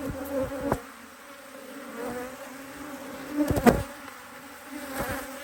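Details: Honey bee colony on an Australian Hive IQ hive opened in mid-autumn 2023 to add a box; a soft steady hum beneath scattered bangs and scraping clicks, with a louder buzzing burst near the middle.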